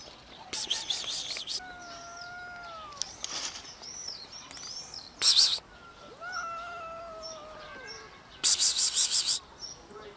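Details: Homeless cats, four scared strays drawn out by the prospect of food, give long, level meows with a steady tone. Brief loud rustling bursts and faint high bird chirps are heard between the calls.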